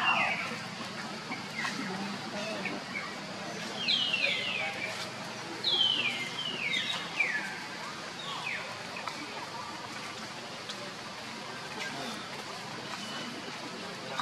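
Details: Baby monkey Leo crying and screaming loudly to call its mother Libby: a cluster of shrill, high squeals, each sliding sharply downward, bunched in the middle of the clip, over a steady background of voices and outdoor noise.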